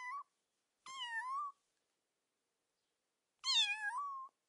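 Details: A kitten gives a short clipped meow, then two longer bright harmonic meows, one dipping and rising, the other loud at onset and slowly falling, separated by nearly two seconds of silence.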